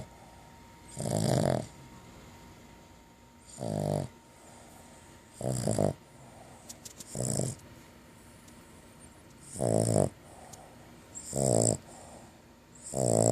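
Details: Sleeping female dog, resting after finishing a bacon-flavoured long-lasting chew, gives seven rough, throaty snores at an uneven pace of about one every two seconds. Soft breathing fills the gaps.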